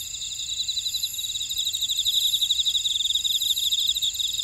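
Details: Short stretch of insect chorus from a buckwheat field at Ora-dong, Jeju, South Korea: shrill, fast pulsed trills in several high bands, loudness gently rising toward the middle.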